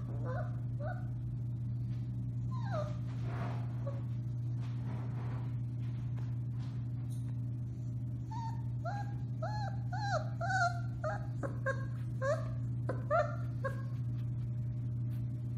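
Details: Four-week-old Alaskan Malamute puppies of the Bema and Cole litter, March 30, 2021, yip and whimper in short bursts with scattered clicks and knocks, then break into clusters of quick rising yelping howls, over a constant low hum.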